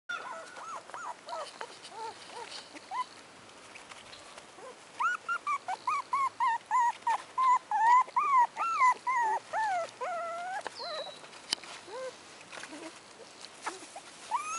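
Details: Four-week-old American Hairless Terrier puppies giving a run of high whining whimpers and squeaks, rising and falling, coming in quick bursts of about two per second, with quieter gaps between.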